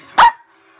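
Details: Single sharp, loud yip-bark from Baby Girl, a female Chihuahua kept as a pet, talking back while a person talks to her about a treat; it ends quickly into quiet.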